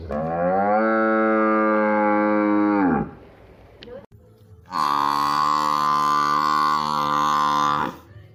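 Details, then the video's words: Cow in a village lowing twice, each a long flat moo of about three seconds with a sharp drop at the end. The second call is brighter and stronger, and there is a short pause between them. "Village buffalo and cow animal video"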